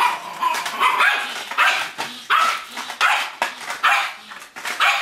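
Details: Yorkshire Terrier at play, attacking a cup: short high yapping barks repeated about once per second, uneven in rhythm, some with a rising squeaky edge.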